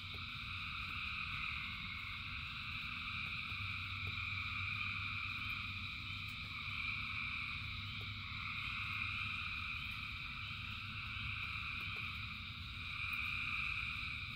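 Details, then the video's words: Thousands of frogs singing in the rain form a dense, unbroken chorus of layered high trilling, the din swelling and easing slightly over fourteen seconds above a steady low rumble and faint ticking drops. "Frogs in Rain 2 Hours of Frogs, Thousands of Frogs Singing"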